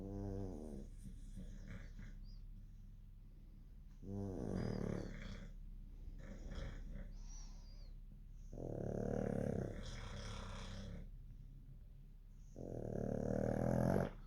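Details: Sleeping dogs snoring: low, rough, rumbling breaths in slow swells lasting a second or two, some louder bursts with a harsh rattling edge, separated by quieter stretches.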